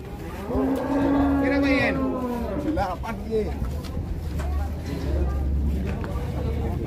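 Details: Cattle at an Indonesian livestock market, including a very large animal; a long steady moo lasting about a second and a half, followed by bending lower calls, with a persistent low hum and background chatter.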